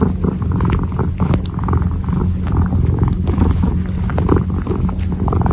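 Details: A purring kitten kneads in close-up ASMR. A continuous deep pulsing rumble runs throughout, with light scratchy taps and fabric rustles scattered over it.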